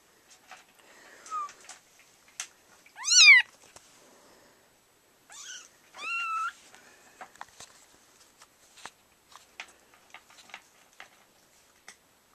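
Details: Kittens indoors at home, the mother cat eating nearby. Sparse, high kitten mews: a faint short call, then a sharply rising squeak, and two shorter wavering meows, between soft clicks and handling noise.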